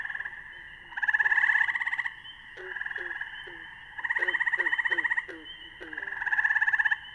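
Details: Gray tree frog (Hyla versicolor) call played back during a naturalist talk on frogs and toads: loud musical trills, each about a second long, repeated roughly every two to three seconds, with softer clicking notes between them.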